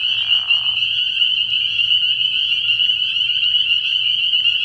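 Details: Spring peepers in full night chorus at a frog pond in early spring, high piercing peeps blending into one continuous band, opened by a short lower raspy call in the first second.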